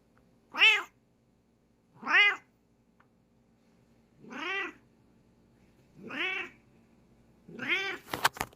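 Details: Coco the Bengal cat answers a sneeze with five bright, rising-and-falling meows, spaced about one and a half seconds apart, the last one overlapped by clattering phone-handling noise.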